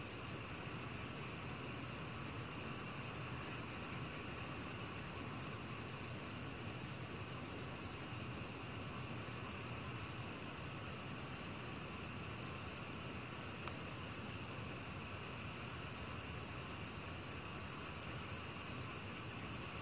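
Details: Black cricket from a 2020 National Institute of Biological Resources recording: long runs of rapid, evenly spaced high chirps broken by two short silences of about a second each, with faint hiss beneath.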